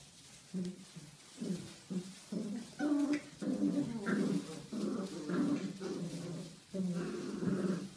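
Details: Belgian Malinois puppy Rea playing with her brothers and sisters: a run of low rumbling growls in short pulses, about one or two per second, with small squeaky notes over them, in a small room.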